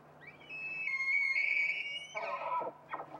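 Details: Bull elk bugling during the mating season: a rising, high whistled tone held steadily for over a second, then breaking downward into lower, rougher grunting notes, with a faint low hum beneath.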